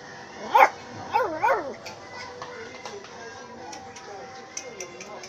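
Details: Miniature Pinscher barking: three sharp, high yelping barks with strong harmonics in quick succession in the first two seconds, then quieter background with faint voices.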